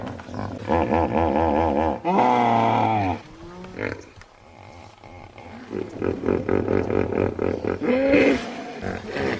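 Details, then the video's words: Hippopotamus giving loud, deep calls: long harmonic bellows, then a rapid series of rhythmic pulsed honks repeating about twice a second, ending in a rising wheezy note. "Hippo Sounds"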